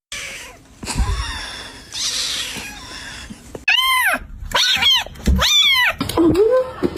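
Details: Scared pet cat giving a run of loud arched wails, each rising then dropping, repeated roughly every half second after a stretch of rustling and noise.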